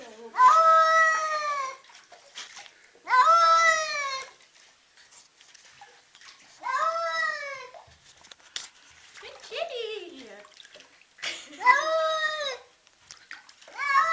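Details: Cat freaking out, giving long drawn-out wailing yowls about a second each, repeated every few seconds, with a few shorter falling cries between them.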